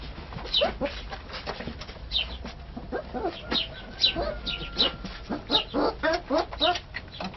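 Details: Sloughi puppy in Algeria, giving rapid, irregular high squeaky yelps and whines, several each second with uneven spacing, over a faint steady background tone.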